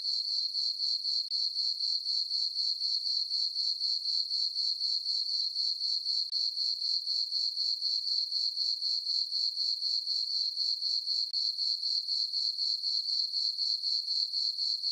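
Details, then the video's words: A night meadow on a farm in summer, full moon overhead: crickets sing a constant high, ringing pulsed trill, close to four chirps each second, steady and uniform throughout, alone. "Cricket chirping sounds for sleeping"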